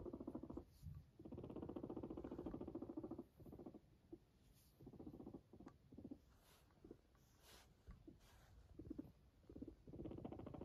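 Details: A Sheltie (Silkie) guinea pig purrs in low, rapid vibrating bursts separated by brief pauses.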